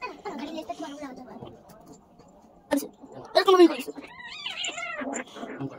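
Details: Persian cat, a long-haired pet, meowing while being shaved at home: a few drawn-out, wavering meows that rise and fall in pitch, mixed with a person talking nearby and a short clatter.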